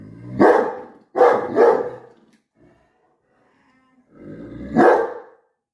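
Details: A dog confronts his reflection in a mirror. Two gruff barks are followed by a pause, then a low, rising growl that ends in a final heavy bark. There is no other noise.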